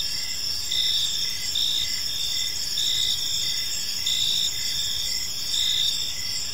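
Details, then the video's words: Crickets chirping on an evening in a park: a steady high shrill drone with short pulsed chirps repeating about twice a second, and a faint low background rumble. "Cricket Sounds in a Peaceful Park"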